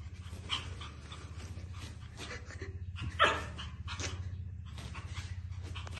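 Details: Male Pomeranian puppy panting in quick, even breaths that run without pause through the whole stretch, with one louder huff near the middle and faint soft whimpery sounds over the steady rhythm.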